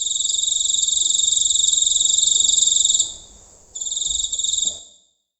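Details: Giant cricket at night in the countryside, heard from close by: a sustained piercing, rapidly pulsing trill for three seconds, a short gap, then a final burst that fades out.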